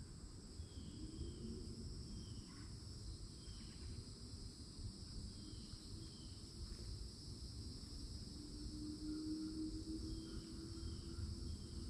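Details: Summertime cicada chorus at the edge of a Florida forest among old oak trees: continuous high droning buzz, with faint brief chirps of birds and a low rumble beneath.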